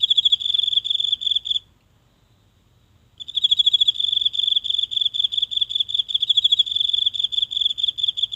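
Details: Night in a small garden, one insect hidden in the grass, phone placed nearby: high-pitched pulsing trill, a silent break of about a second and a half, then steady rapid chirping resumes; faint low hum beneath.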